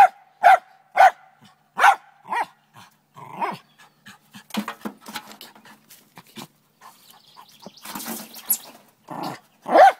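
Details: Morning barking by Trina the Lakeland Terrier, intent on a chipmunk inside a downspout: bursts of sharp barks at the start and end, with softer yips, huffs and scratching clatter between.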